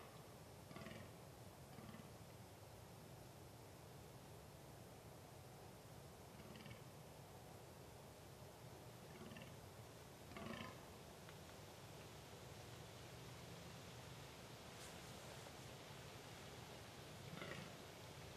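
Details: A fallow deer buck (Dama dama) in a quiet forest during the rut, November 2012, gives deep, guttural belching groans at irregular intervals.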